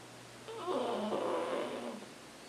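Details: Pug sleeping and snoring as usual: a single drawn-out, rasping breath of about one and a half seconds with rough buzzy tones in the middle range, swelling then fading over a faint steady hum.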